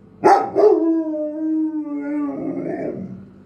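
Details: Pet Doberman, five years old, talking like a wolf: a sharp yelp-like onset, then a sustained mid-pitched howl that slowly sinks before breaking into a wavering, grumbling tail; a man says a few words to the dog.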